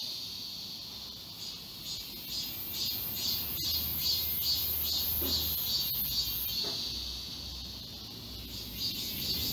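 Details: Many cicadas sing together in the forest of Galsan Park, Yangcheon-gu, Seoul, in summer: rhythmic, buzzy throbbing about twice a second over a high drone, with a faint low rumble midway.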